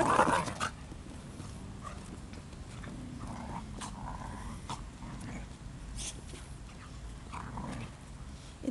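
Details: Playful dogs Betty, Onciu and Pufy playing together in a park on a cold 11 November morning; a loud burst opens, then low growling rumbles and brief huffs over steady outdoor rustle.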